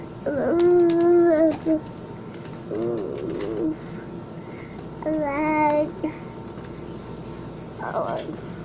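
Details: Drowsy cat during a nap on October 19, 2020, uttering several brief warbling chirps and murmurs in separate bursts, with quiet gaps between them in a small indoor room.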